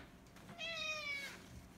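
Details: Domestic cat meowing in reply to its owner indoors in a short back-and-forth: one clear, quiet, tonal meow lasting under a second, slightly falling at the end, with faint room noise and a person speaking nearby.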